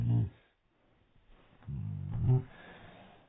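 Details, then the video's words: Dog barking from its own hiccups, played in slow motion: deep, drawn-out, low-pitched bursts, a short one at the start and a longer, growling one after a pause of about a second, with a soft breathy tail. "dog barking from his own hiccups"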